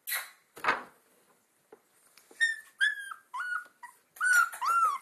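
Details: Two-week-old Alaskan Malamute puppies from a litter of four named Sansa, Sorpresa, Spartacus and Swagger, on early outings. A soft rustling burst, then a run of high, thin whining whimpers that rise and bend downward, several in quick succession.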